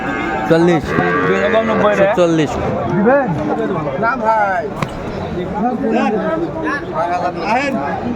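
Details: Sahiwal bull calves at a cattle market in Chattogram, Bangladesh, on 14 January 2025: several deep, drawn-out moos with rising and falling tone overlap with constant bargaining voices and crowd chatter.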